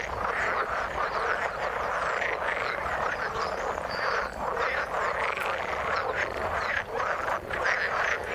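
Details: Frogs calling in the water, a dense continuous chorus of overlapping croaking pulses with a few brief higher whistled notes above.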